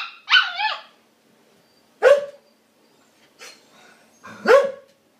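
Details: A female Siberian Husky puppy, trying to get a Border Collie to be friends and play, gives short, bending yelps and yips in talkative husky-style vocalizing.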